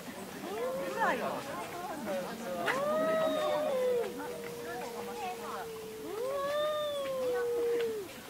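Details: Cats fighting and screaming: low, drawn-out yowls held at a steady pitch for several seconds, then a second long wavering wail that swells and fades, with faint background noise.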